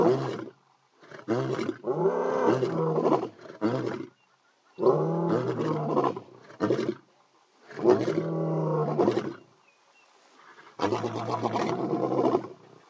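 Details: Early morning calling by two male lions: a run of deep, grunting roar bursts, about four long bouts of pulsed, throaty calls separated by brief silences, loud and close.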